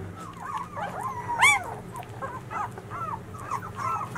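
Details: Litter of 13-day-old White Swiss Shepherd puppies born in 2019, whining: thin wavering whimpers that rise and fall, with one louder sharp squeal, against a low steady background hum.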